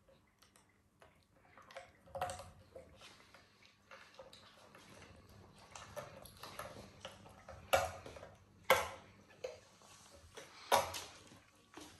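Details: Irregular clicks, taps and a few sharper thuds sound against a steady low hum in a small indoor space. No barks, growls or other animal voices are heard.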